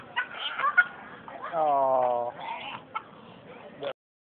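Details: Dog in Gloucester city centre with a swallowed squeaky toy, waiting for its owner outside a shop, recorded on a phone: one drawn-out, toy-like whining squeal of about a second, framed by clicks and nearby voices.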